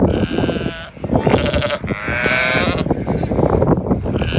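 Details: Zwartbles ewes on a regenerative farm in County Kilkenny, Ireland, rushing to their evening field and meal; loud overlapping wavering bleats from several sheep, with trampling and rustling beneath.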